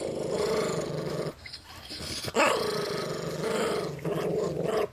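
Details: Chihuahua–Miniature Pinscher cross family dog guarding his peanuts, growling almost continuously in long snarling bursts with a short pause near the middle; a sharp snap or yip cuts in briefly.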